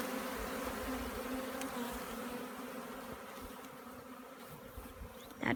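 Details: Honey bee swarm during collection, heard as a continuous buzzing drone of many bees, even and unbroken, ending with a brief sharp knock.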